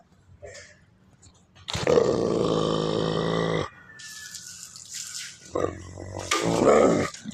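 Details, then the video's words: Wolfdog giving a loud, harmonic, moaning vocalization that holds steady for about two seconds. Softer, scattered noises follow, along with a brief hiss and a few short, rough bursts near the end. "wolf Dog sound"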